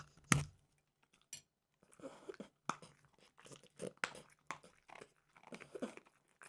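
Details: French bulldog Mimosa eating peanut butter dog treats: one loud sharp crack, then softer scattered crunches and licking-like mouth noises, recorded close in a small indoor space.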